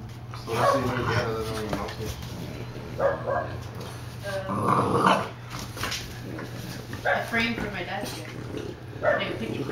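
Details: Bulldogs Bowser and baby cousin Hamboy play-fighting indoors; rough growls and short bark-like bursts come every few seconds, mixed with people talking and laughing.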